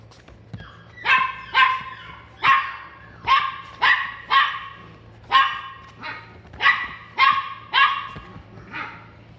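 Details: Caged Pomeranian at a Kobe pet shop barks repeatedly: about fourteen crisp, high yaps, often in quick pairs or threes, with brief pauses between bursts, over a constant low background hum.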